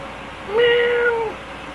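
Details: Angel, a pet cat, meowing at dinner time: a single drawn-out, steady meow lasting under a second, level in pitch and ending with a slight drop, in a quiet room.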